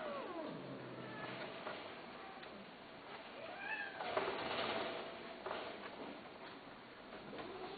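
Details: Cat offered for sale, meowing a few times with drawn-out, arching meows over a steady hiss of background noise and a low rumble.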